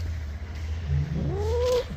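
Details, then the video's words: Cat at bath time giving a single rising, strained wail after a low rumble of background hum. "Cat bathing"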